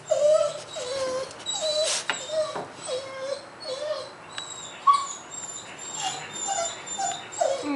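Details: Pet dog whining each morning as its owner leaves for work, asking not to be left: repeated short, nasal whimpers about every half second, slightly falling, over a soft background hiss.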